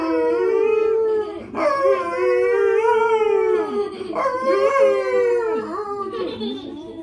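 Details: Golden Retriever. A Golden Retriever gives a series of sustained howls, rich in harmonics, that waver and sag in pitch. Each howl lasts a second or more before a fresh one breaks in with a sharp upward lift.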